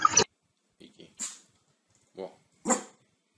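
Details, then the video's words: A dog gives a few short, scattered barks, some sharp and high, in a small indoor room, with a person's voice mixed in between the quiet gaps. "Dog Barking Sound"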